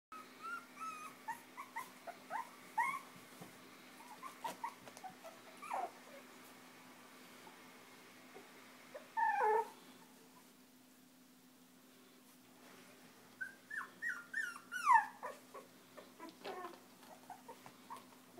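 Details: Five-week-old Chinese Crested puppies, fostered with their mother by Almost Home No Kill Animal Rescue, playing and nursing indoors; short high squeaks, whines and little yelps come in scattered bursts, with a steady low hum underneath.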